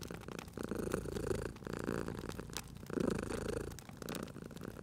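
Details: Domestic cat purring while asleep near a crackling fire: a rough, low rumble in uneven breath cycles, louder in bursts, with quick woody pops from the fireplace.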